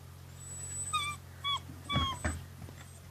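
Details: Rhodesian Ridgeback puppies at day 53, kept indoors on a day of bad weather, give short high whining whimpers with harmonic overtones, several rising and falling squeals in quick succession, over a steady low indoor hum.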